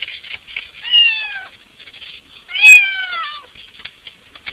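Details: Cat wanting into the house, squeezing at a window: two drawn-out, falling meows about one and a half seconds apart over light clicking and scratching sounds.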